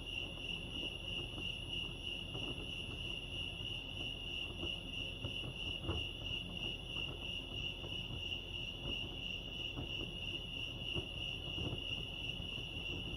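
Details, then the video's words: Crickets chirping at Lake Arrowhead, California: an unbroken, steady high-pitched trill holding one tone with faint higher overtones throughout, over a low rumbling background with a few soft knocks. "crickets chirping lake arrowhead"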